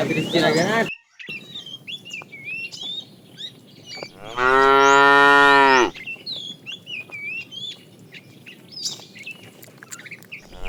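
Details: Fat cow calling the female while a tame herd is driven in the afternoon: a brief moo at the start, then one loud, steady, harmonic moo lasting about one and a half seconds, over constant chirping birds.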